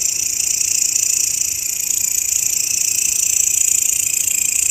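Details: Grasshopper, recorded as a master sound for songbird training, producing an unbroken high, hissing buzz with a fast, even pulsing rhythm throughout; no other sounds stand out.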